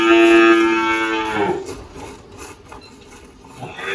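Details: A steady-pitched, bright moo that falls away after about a second and a half, from an 18-year-old spotted Girolando cow named Malhada on an Anápolis, Goiás farm in Brazil, followed by quiet farm background and a faint start of another call.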